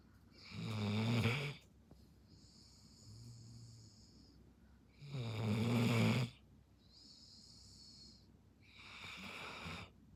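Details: Dozing Belgian Malinois snoring heavily: three long, harsh, rumbling inhalations roughly four seconds apart, each followed by a thin, whistling exhale.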